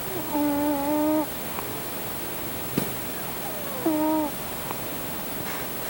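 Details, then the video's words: Male domestic cat asleep on top of his owner, snoring: a steady whistled nasal tone lasting about a second, repeating roughly every three seconds over a constant soft hiss, with a faint click between breaths. "My Cat Snores"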